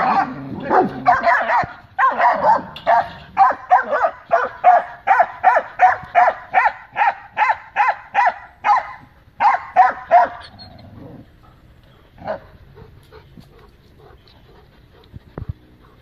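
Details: Great Dane with other dogs guarding the yard as loose dogs approach the gate; a steady, fast run of sharp barks about three per second for ten seconds, then fading to a few isolated barks and quiet.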